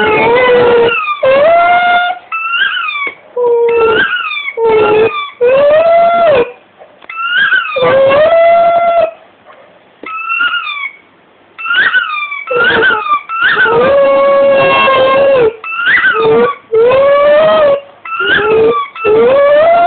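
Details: Dog howling in tune with the sound of a biting-toy rugby ball, alternating bursts of sharp bent squeaks with drawn-out, rising, sustained howls several times throughout.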